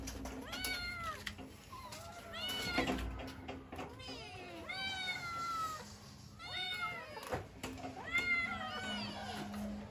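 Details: Kittens calling for their mother, meowing when cold or hungry; short arched meows with rich harmonics, several in overlapping bursts every second or two, with faint low hum beneath.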